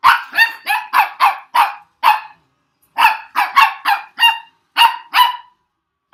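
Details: Puppy going crazy in reaction to a weird noise, letting out rapid sharp yappy barks in two bursts, about six quick barks, a pause, then another run of higher, more tonal yelps.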